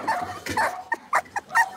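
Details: Blenheim Cavalier King Charles Spaniel puppies, a litter of five born at New Year's, settling into a bigger indoor pen: short high-pitched yips and whimpers in quick bursts, about five separate cries within two seconds.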